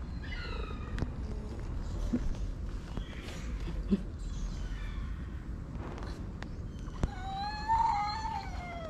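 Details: Orange stray cat being massaged and fed outside; a faint meow early on, then a louder wavering drawn-out meow near the end, with background rumble, clicks and a woman's soft voice.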